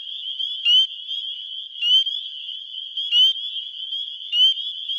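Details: Male spring peepers (Pseudacris crucifer) in Wisconsin in early spring give high, clear, upslurred mating peeps to attract females, over a steady, ringing chorus of more distant frogs.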